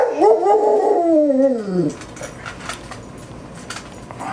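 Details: One of six household dogs on an ordinary morning at home lets out a long wavering howl that slides downward over about two seconds, then fades into quieter room noise and faint chatter.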